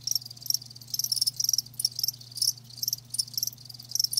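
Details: Live crickets chirping in short pulsed bursts of high, bright trills, several callers overlapping in quick irregular clusters, with a steady low hum underneath.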